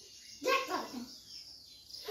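A young goat gives a brief, high, quavering bleat in a small indoor space.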